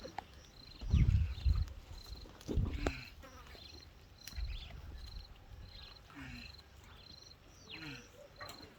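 A tortoise gives deep, breathy grunts in short bursts while mating.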